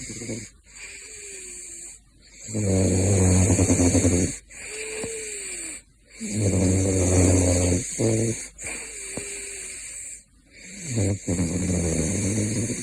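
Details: A caracal named Gosha snores steadily in his sleep, each long exhale a deep, rattling, buzzy rasp lasting a couple of seconds, followed by a quieter, faintly whistling inhale, over a constant high electrical hum.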